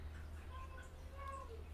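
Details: Domestic cat setting, with gentle cat Haechal said to be angry because kittens bother her; two thin, faint, tonal meows, one near the start and a longer slightly falling one later, over low room hum.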